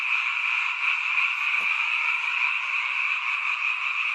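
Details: A seasonal nighttime frog chorus from a mountain village, heard only at this time of year. Countless overlapping high-pitched croaks merge into a continuous shimmering drone, and a single faint click cuts through midway.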